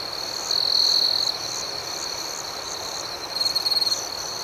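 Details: Crickets chirping at night: a strong high trill of about three quarters of a second, then a quieter stretch of steady chorus, followed by a second pulsing trill toward the end.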